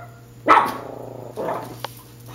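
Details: Chihuahua in a yard chasing a squirrel, giving two sharp, short barks about a second apart, the first louder, while a person keeps asking "Squirrel?" nearby.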